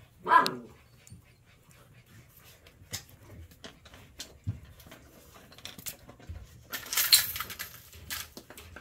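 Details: Puppy, eight weeks old, lets out one sharp high yelp at the start, then mostly quiet rustling and a burst of hissing noise near the end.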